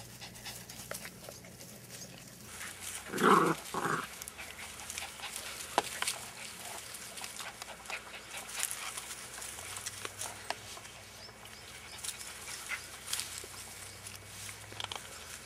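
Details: Dachshund in Marble Falls, Texas, giving two short, sharp barks close together about three seconds in, followed by a long quiet stretch of low hum and faint scattered background noise.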